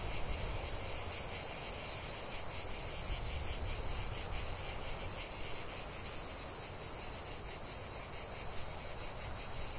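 Cicadas sing a continuous, high, shimmering buzz that pulses slightly without a break.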